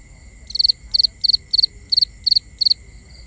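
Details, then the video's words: Crickets at night in a binaural nighttime ambience: sharp, high chirps of three or four quick pulses, about three each second, over a steady thin high-pitched hum. "Cricket Conversations"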